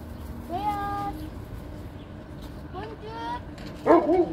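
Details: Kangal puppy recorded on 20 March 2024: two short, thin whining cries that rise then level off, a second apart, followed by a louder brief yelp, with low background noise.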